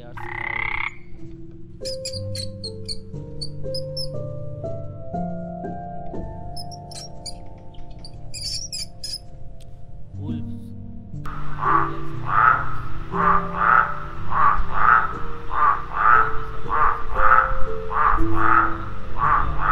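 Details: Frog croaking over background music: after about eleven seconds of steady musical tones, a run of regular, mid-pitched croaks begins, repeated roughly every second through to the end, with the music continuing underneath.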